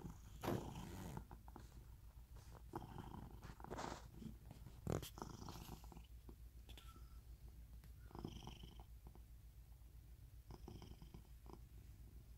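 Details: Low, even purring from a rescued house cat in Cooktown, Queensland, Australia, a soft rhythmic rumble running the whole time, interrupted by a few louder bumps and rustles early on.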